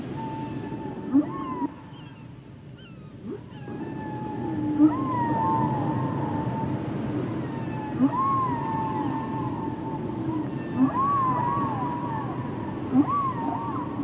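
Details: Humpback whales singing, with drawn-out wavering whistles and upswept cries over a steady underwater hum, punctuated by short loud chirps every couple of seconds.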